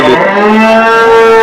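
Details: Desi cow at the Saturday cattle market in Chakan, 3 January 2026, giving a long, loud, steady moo with rich harmonics that holds level for over a second; market noise faint beneath.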